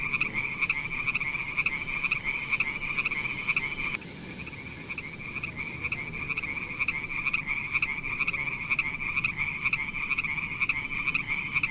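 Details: Frog calling among mossy wet rocks with snails around, giving a continuous fast-pulsed, rattling trill at a bright mid-high pitch with a fainter lower band, over a steady rushing hiss throughout.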